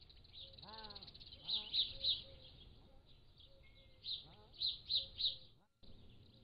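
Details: Pallas's cat kittens, three to seven weeks old, captured at a zoo by a motion-activated trail camera: brief harmonic mews that slide downward, one near the start and another later, amid high chirping birds in the background.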